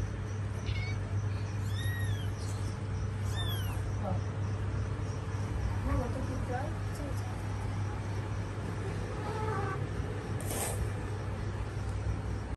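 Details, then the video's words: Domestic cat, a mother caring for her kittens: a few high, arching meows cluster in the first four seconds, then fainter calls, over a steady low hum while people talk in Hindi nearby. "Cat caring her babies"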